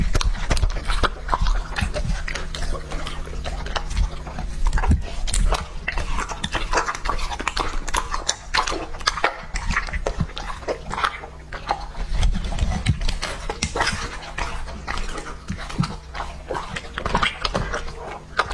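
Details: Lucky, a two-and-a-half-year-old male English-type Labrador Retriever, eats raw meat; dense wet chewing, crunching and lip-smacking bites fill the whole stretch, with low thumping handling noise underneath.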